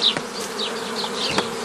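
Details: Honey bees during the forming of nucleus colonies, 15 May 2018: a brief low droning hum with scattered high chirps and a couple of sharp clicks.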